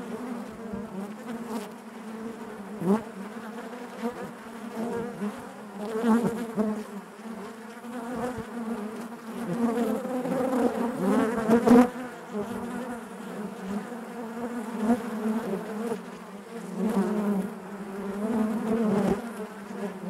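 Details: Natural buzzing of honey bees within the hive, a continuous deep drone with stacked overtones that rises and falls in gentle waves, with scattered faint clicks and a louder surge near the middle.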